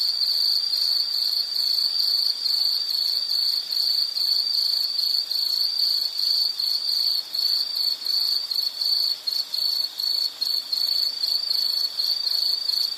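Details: Continuous shrill insect calling, a high buzzy trill pulsing more than once per second, with short drops in loudness near the end.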